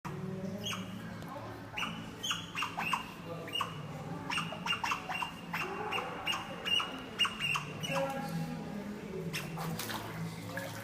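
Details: Captive otter at Hirakata Park in Osaka, Japan, giving rapid, high, squeaky chirps in irregular bursts, several per second at times, over a low background murmur.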